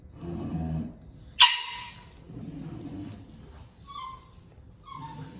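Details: A lilac English Bulldog snuffles and snorts heavily, with a sharp click and a few brief, thin whimpers.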